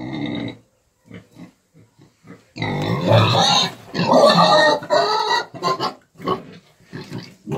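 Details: Piglets of a Romanian breed, eight months old, at a farm: a few soft short grunts, then a sustained stretch of loud overlapping squeals and grunts with bright harmonic bands, easing into clipped grunts.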